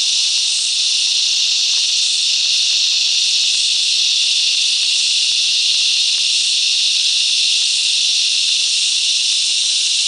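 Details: Many cicadas sing together among the bush mangroves of Coffs Harbour, NSW, Australia; an intense, unwavering high-pitched whine with slight pulsing texture fills the whole recording.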